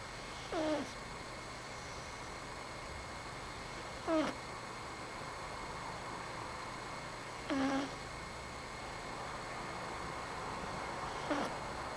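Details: Domestic cat snoring while asleep, recorded close-up: four short breathy snores, each ending in a squeaky whistle that slides downward, spaced about three and a half seconds apart over a steady faint hiss.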